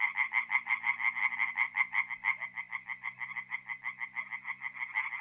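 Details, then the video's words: Singing tree frogs at night in a forest pond in mid-April, North-East Italy: rapid, evenly pulsed croaks run continuously, a dense rattling train of nasal notes with no pauses. "relaxing forest pond by night with singing tree frogs"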